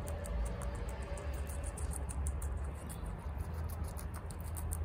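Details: Female guinea pig Chia munching bok choy indoors, eating fast. Bursts of sharp, dry crunches come in quick runs above a constant deep rumble. A faint tone is heard near the start.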